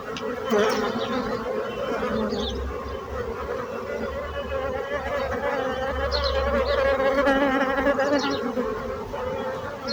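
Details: Many bees buzzing in a continuous, even hum that thickens toward the end, with a few brief high bird chirps above the drone.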